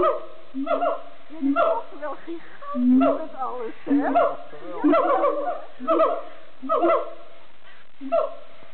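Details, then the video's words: Siamangs singing at Amersfoort Zoo, Netherlands: loud booming hoots and barking notes repeated roughly every second, with rising wavering calls and throat-pumped pulses in rhythmic bursts throughout. "Siamang monkeys singing in Amersfoort Zoo"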